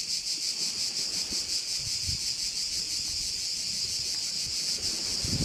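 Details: Crickets by a bay on Korčula, Croatia, keep up a bright, high, shimmering drone with looser, less even pulsing, and faint low wind noise below.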